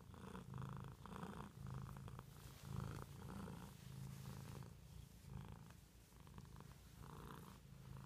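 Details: Pet cat purring, a deep throbbing rumble broken into inhale and exhale phases about every second, with soft midrange breathy bursts and a few small rustling noises.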